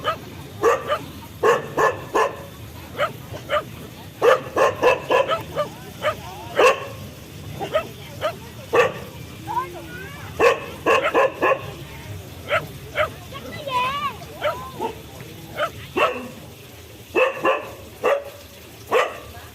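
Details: Dogs barking in uneven rapid volleys, interspersed with high wavy whines and yips, with faint voices and hum behind.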